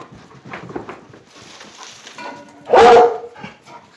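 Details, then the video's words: Plott hound mix excited by a squirrel in sight gives a single loud, slightly falling bay after soft background rustling and a man's coaxing voice. "Plott Hound baying"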